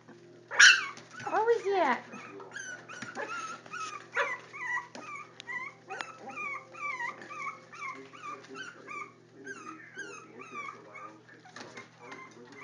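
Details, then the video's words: Four-week-old Jack Russell Terrier puppies crying in repeated short, high, bent whines after an opening loud yelp, the whimpers coming steadily and fading toward the end, with brief speech. "JoJo's Jack Russell Puppies 4 weeks"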